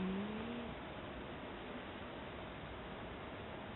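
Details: Steady, even hiss of broadband background noise with a faint low tone at the start.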